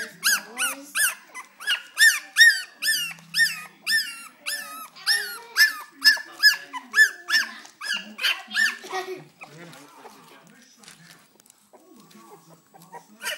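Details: Four-week-old Cocker Spaniel puppies cry with a rapid run of high, squeaky whimpers, about two or three each second. The cries fade into softer whines and rustling after about nine seconds, and one last squeak comes at the end.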